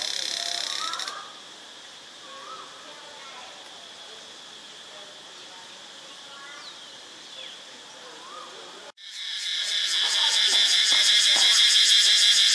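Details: Cicada buzzing in Ubon Ratchathani, Thailand: a loud shrill drone cuts off after one second, leaving quieter scattered chirps and soft bird notes, then resumes after a sharp break and swells steadily to a pulsing, throbbing peak.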